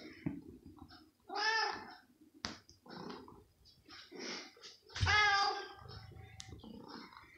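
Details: Very hungry pet cat going crazy for chicken slices indoors: loud, drawn-out pleading meows spaced a few seconds apart, with shorter mews, sharp clicks and room noise between them.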